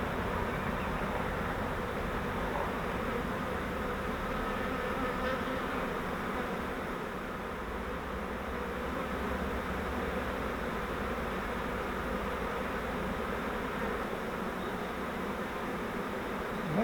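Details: Captured honeybee swarm from a flowerpot swarm trap, during transfer into a Langstroth bee hive, gives a continuous low, even hum of many wings with no breaks and only slight swells in loudness.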